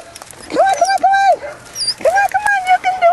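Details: Belgian Malinois puppies, 7.5 weeks old, from the S Litter du Dantero, playing on a puppy rubble pile with new footing and obstacles. Two bouts of high, arched, tonal whining, with a woman's encouraging voice calling to them throughout.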